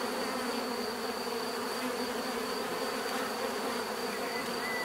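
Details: Steady, relaxing drone of bees, a dense buzz of countless wingbeats holding the same level throughout, layered low and middle hum with a thin constant high tone and no other clear sounds.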